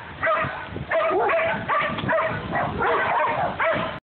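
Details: Domestic dogs, a Great Dane, a Jack Russell and a golden retriever mix, in a recording uploaded from an Android phone: tonal, yelping barks and whines in about six bursts over four seconds, with steady background noise.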